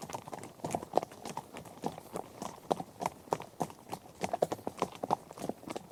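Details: Herd of horses on a trek across varied terrain like grass, dirt and gravel; distinct knocking clip-clops fall in quick uneven bursts, several hooves striking close together, over a soft gritty background.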